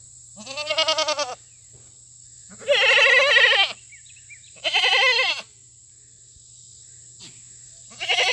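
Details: Loud fainting goats on a country farm during a treat day of fresh cut grass, newly arrived goats among them; three long, wavering, harmonic bleats, each about a second long and separated by short pauses, with a fourth starting at the end.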